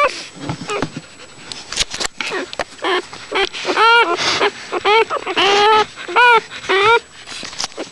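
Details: Newborn puppies suckling, with soft clicking, smacking and snuffling noises throughout and a handful of short, downward-bending whimpers in the second half.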